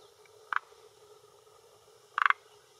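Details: Male forest green tree frog (Rhacophorus arboreus) croaking with throat vocal sac at a hillside pond shore in Japan, early June 2021, around 18:10, claiming territory and attracting females: two short clucking bursts about one and a half seconds apart over faint background hiss.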